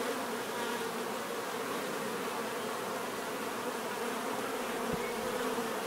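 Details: Many bees buzzing in nature, a dense steady hum with bands around the low-middle register, continuous and even throughout with no other distinct sounds.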